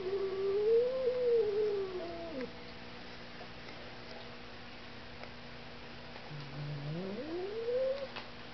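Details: House cat attacking a running vacuum cleaner, letting out two long yowling caterwauls, the first wavering then falling off, the second rising from low after a pause, with constant machine hum underneath.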